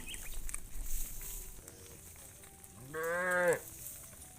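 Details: Tame cow in a herd of hundreds returning to the farm pen at evening sunset gives one short, arching moo lasting about half a second, rising then falling, over quiet rustling background.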